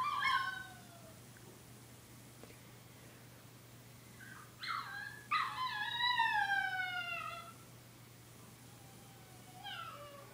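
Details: Pet puppy howling indoors: a short falling yelp, then after a quiet gap a rising burst into a long, bright howl that sags downward, followed by another short falling cry.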